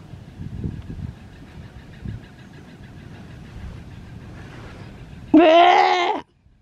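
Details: Rescued male sea lion pup at a wildlife sanctuary, begging for attention while his enclosure is being repaired. Low rumbling background, then one loud, harmonic, bleating cry lasting about a second near the end, cutting off abruptly.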